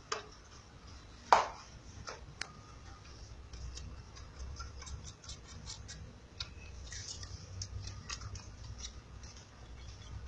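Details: A clock ticks steadily in a quiet indoor room, with one sharp knock near the start and faint clicks throughout.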